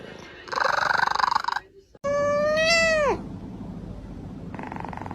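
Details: Domestic cat making weird sounds: a buzzy, harsh burst, then a loud drawn-out meow that holds steady and bends sharply downward at the end, followed by fainter rough noise.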